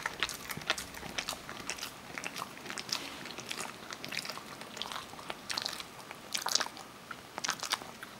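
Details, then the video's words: Almond eating by Parker, a Kerry Beagle, in a small indoor room. Dense, bright crunching and cracking bites come in rapid clusters, with louder snaps near the end. "kerry beagle eating almonds"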